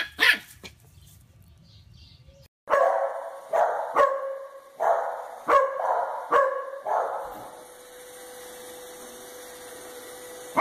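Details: Pet Pembroke Corgi Mona Lisa barks in a steady run of six or seven hoarse, ringing woofs spaced about a second apart, then falls silent as a faint steady electronic tone hums underneath.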